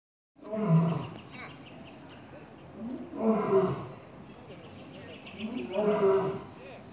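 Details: A male lion at Atlanta Zoo, hidden behind rocks, gives a series of deep, moaning roars, each a rough, resonant burst that swells and fades, roughly every two and a half seconds, with a faint murmur between them.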